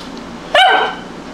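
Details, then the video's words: A single sharp, ringing bark from a Tibetan Spaniel inside a home, bright and harmonic, fading quickly into low room hum. "Tibetan Spaniel Barking Inside"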